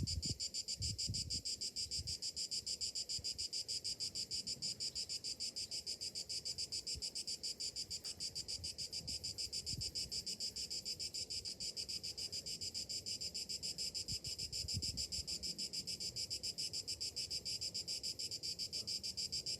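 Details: A summer-morning chorus of cicadas: an unbroken, high, sizzling drone pulsing rapidly and evenly, with occasional soft low thumps beneath.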